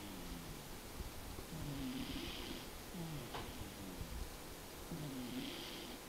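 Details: A sleeping house cat named Tobiko gives three slow snoring breaths over six seconds. Each is a low, throaty rattle followed by a soft airy hiss, with a faint room hum beneath.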